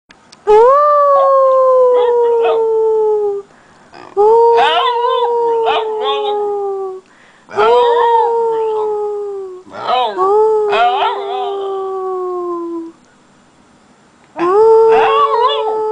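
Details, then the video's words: A Basenji learning to howl gives long, steady howls that rise at the start and slowly sag, repeated five times. "Indiana the Basenji Learning How to Howl"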